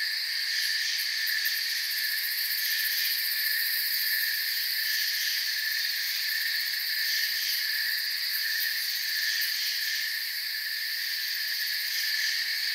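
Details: Crickets in a forest, a dense, continuous chorus of high-pitched chirping in several steady bands, with a faint shimmering pulse throughout and no other clear sounds.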